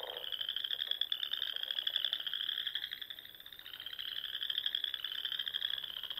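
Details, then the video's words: Frogs singing at dusk in spring among the Sandhills ponds of Nebraska. A somewhat softer, steady wash of high rising trills runs throughout, underlaid by faint lower croaks. "RELAXING SOUNDS OF FROGS"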